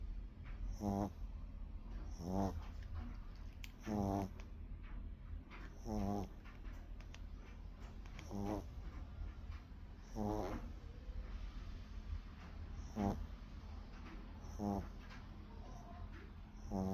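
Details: Dog asleep and snoring steadily, each breath a short fluttering rasp, about every one and a half to two seconds, over a constant low background hum.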